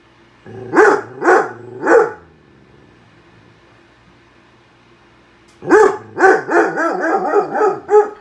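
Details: Indoor dog barking at a microwave while a bowl of soup pops inside: three sharp barks, then a pause of several seconds, then a fast run of about seven barks close together.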